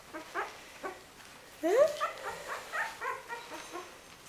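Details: A young puppy from Winny's litter lets out a sharp rising whine, followed by a run of short, quieter yips and whimpers at an even pace, faint calls before it.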